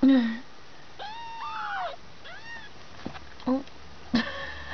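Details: Two-week-old kitten from a litter of five giving a few drawn-out, arching mews, one bending upward midway, between short low sounds and brief speech.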